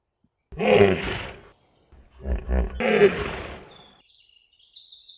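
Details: Hippopotamus (Hippopotamus amphibius) gives two deep, rough bellowing grunts, each about a second long; high thin whistles, probably birds, follow near the end.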